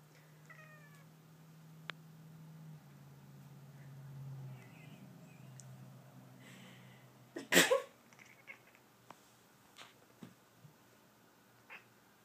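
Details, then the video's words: Domestic cat disturbed by sneezing while trying to sleep indoors; a few short soft meows early on, a low steady hum, then a loud sneeze-like burst followed by scattered small clicks and rustles. "Sneezing Disturbs Sleeping Cat"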